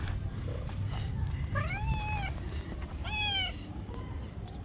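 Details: Street-dwelling stray tabby meowing twice in quick succession, each call a clear, harmonic-rich wail that rises then falls, set against a constant low hum of urban background noise.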